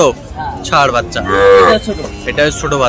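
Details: Sahiwal bull calves bought by a Mymensingh farmer on 7 February, at a market: a drawn-out, rising-and-falling harmonic moo near the middle, set among human voices and crowd chatter.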